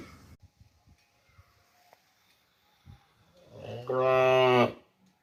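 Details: Cow gives a single loud, steady moo near the end after a stretch of quiet background rustling and faint knocks.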